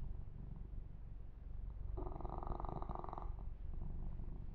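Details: Deep, even purring from a male kitten being massaged indoors, with one clear mid-clip burst of fur rubbing over the rumble.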